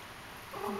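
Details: Intrepid, a tiny 3½-week-old Persian kitten, plays on 07.08.11; one short, rising mew with a clear harmonic stack near the end, over a low steady room hum.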